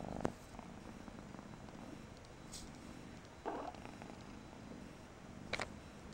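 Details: Low steady purring from Persian kitten Mariah, a soft continuous rumble punctuated by a few short rustling thuds and clicks.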